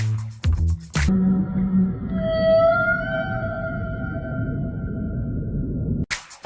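A whale gives a long, drawn-out tonal moan with rich overtones, held steady for several seconds.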